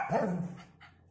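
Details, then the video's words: A five-month-old Shih Tzu puppy indoors gives a single short, low bark that trails off, with a woman speaking Hindi just afterwards. "Cute shih tzu barking"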